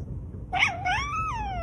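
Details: Domestic cat meowing indoors: a single drawn-out harmonic meow that rises, dips, then climbs and slowly falls over about a second, with faint low background hum.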